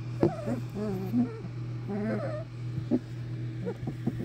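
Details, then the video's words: A litter of English Springer Spaniel puppies at a kennel making clustered whiny squeals with wobbling pitch, several overlapping, plus a few sharp clicks, against a steady low hum. "English Springer Spaniel Puppies"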